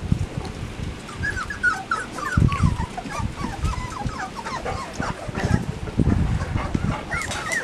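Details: A litter of Labrador Retriever puppies kept in a run, father Max and mother Whitney nearby, around feeding time on 10 September 2015; a steady stream of short, high, wavering whimpers and squeaks, with dull knocks and shuffling below.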